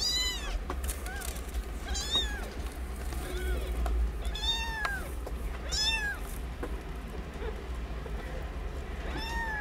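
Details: Tiny kittens, part of a litter of nine born a short time ago, nursing from their mother in a sheltered cat house. Clear, high, bending mews repeat roughly every second, some in overlapping pairs, over steady low hum.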